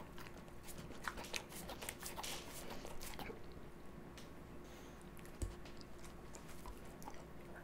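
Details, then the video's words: Slush, an energetic white Siberian Husky, eating raw meat and vegetables indoors: crunchy bites and wet chewing in dense bursts over several seconds, with one sharp crunch standing out midway. "Hilarious Husky Reacts to Raw Meat & Vegetable ASMR"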